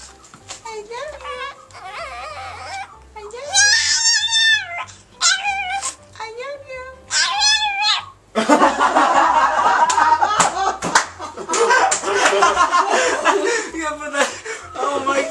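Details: A Chihuahua answering with its 'I love you' talking sounds: a run of short, warbling, harmonic yowls in the first half, followed by a loud, dense stretch of music and excited human voices.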